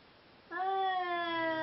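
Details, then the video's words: Seal Point Siamese cat, one of a pair being mated, opening a sustained tonal yowl with strong harmonics that holds steady and dips slightly through just over a second. "Seal Point Siamese Mating"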